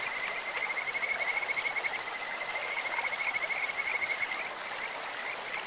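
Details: Kajika frogs calling in a clear stream, a bright bird-like trill of rapid pulses held near one pitch for about four seconds, sweet and insect-like, over a steady hiss of flowing water.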